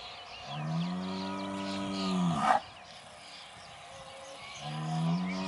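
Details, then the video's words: Male Aubrac cattle bellowing on a farm near Laguiole: two drawn-out low moos, each steady and slightly rising, the first closing with a sharp rough break, birds chirping faintly behind. "LA RACE AUBRAC - L'APPEL DU MALE"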